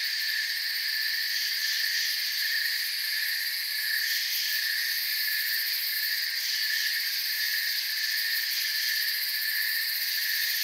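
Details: A calm woodland ambience is dominated by crickets, whose many high chirping trills blend into a seamless drone that rises and falls slightly in strength across the recording.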